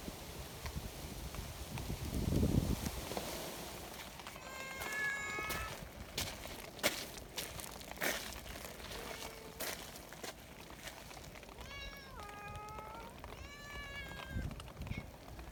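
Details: Friendly mountain community cats being fed right after a typhoon that turned an umbrella inside out; several drawn-out, wavering meows arrive in two bursts, mid-clip and near the end, over outdoor rustling, footsteps and a low windy rumble.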